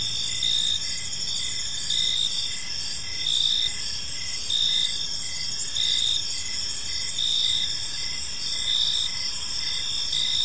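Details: Crickets chirping in a peaceful park as evening unfolds, a steady high trill overlaid with louder pulsed bursts repeating roughly every second, with faint low background noise.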